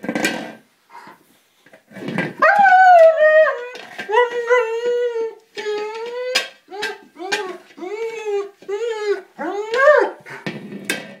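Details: German Shepherd attacking a small buoy and getting upset that he cannot puncture it: drawn-out, wavering whines and howl-like yelps that rise and fall in repeated bursts, with short pauses between them.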